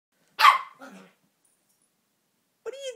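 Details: A Maltese puppy, playfully digging and rolling on a couch cushion while growling, gives one sharp, high bark, followed by a softer, rougher sound.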